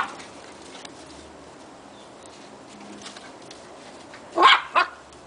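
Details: Two puppies playing around in a backyard; after a quiet stretch of faint background hiss, two sharp, high yipping barks come in quick succession near the end.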